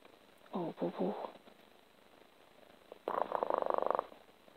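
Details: A Siamese kitten named Bubu purrs rapidly and rhythmically while rubbing affectionately on its owner, following the owner's short spoken words. Recorded 27 April 2017 at 4:15 AM.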